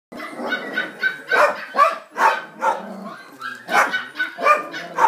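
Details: Male Border Collie puppy: a run of short, rough barks about every half second, loud and close, with faint voices beneath.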